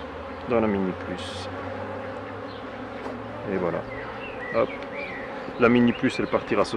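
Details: Honey bees at the hives while a beekeeper works them, giving a steady low hum of many wings throughout, with a man's voice speaking in short bursts over the colony's drone.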